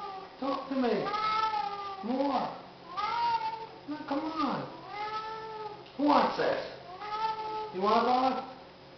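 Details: Siamese cats, pets indoors at feeding time, calling vocally while waiting to eat: loud drawn-out meows, rising then falling, about one every second or so, with a person talking to them in between.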